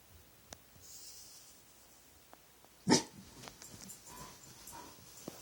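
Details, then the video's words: Dog late at night, vocalising at nothing: a single sharp bark midway, surrounded by faint breathy sounds and soft rustling. "Weird dog sounds"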